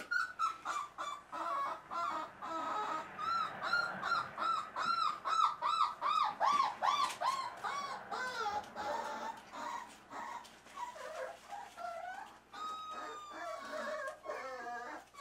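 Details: Dachshund mother Lucy with her litter born 9/12/12, recorded 8-1-13: one black and tan dog, one silver dapple dog and one silver dapple bitch, filmed with a Panasonic Z10000 camera. Rapid, overlapping high arched whines and yelps repeat continuously, several voices at once.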